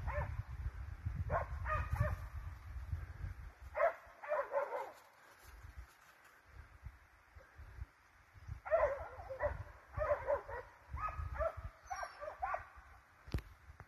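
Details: Russo-European Laikas and scent hounds on a wild boar chase bark in irregular bursts of several quick yelps separated by quieter stretches, with rumbling low background noise and a sharp click near the end.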